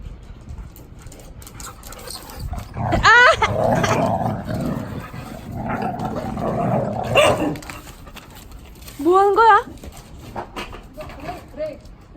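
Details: Three large pet dogs, Samoyed–Chow Chow crosses and a blue merle Border Collie; two rising, wavering whines around three and nine seconds, with a muffled growling stretch between and human voices.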